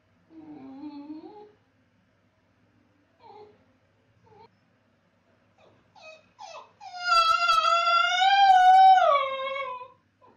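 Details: Basenji left alone by its owner: a few short, soft whimpering notes and then a loud, sustained, wavering howl lasting about three seconds that slowly falls at the end.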